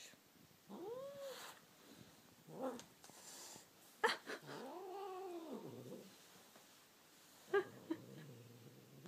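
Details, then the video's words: Male cat that likes to sing and answers to its name: a short arched meow, then a longer rising-and-falling meow, separated by quiet gaps, knocks and rustling. "Cat Bamboo is singing / Bambusz cica énekel"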